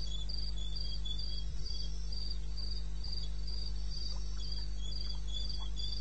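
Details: Cricket calling in the wilderness of eastern Botswana, recorded at 02:30 at night on 21 May 16: short high chirps pulsing steadily about three or four times a second, with a constant low hum underneath.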